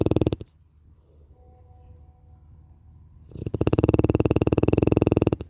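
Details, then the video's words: Larissa the Cane Corso snores in her odd way: a burst of buzzing, pulsed rattle, then a quiet pause with a faint hum, then the deep throaty snore resumes for about two seconds. "Cane corso 《Larissa》 yok boyle horlama sekli"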